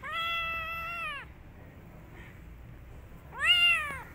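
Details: Young kitten hiding in a jacket, producing a long, level, clear meow lasting about a second, a quiet pause, then a louder meow that rises and falls, in a quiet room.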